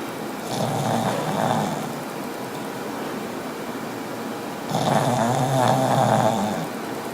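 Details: Pug snoring: two long, rough, rasping breaths, each about one and a half to two seconds, separated by roughly three seconds of quieter breathing.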